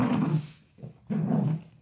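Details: Pet dachshund wrestling with an octopus, its arms shredded in play: two deep, throaty growl bursts, a short quiet gap with a faint low rumble between them.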